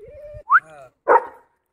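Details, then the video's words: German Shepherd dog on a morning walk, giving a rising whine into a short sharp bark, then a second harsher bark after a brief pause; tonal whimper-like sound at the start. "German shepherd dog morning walk"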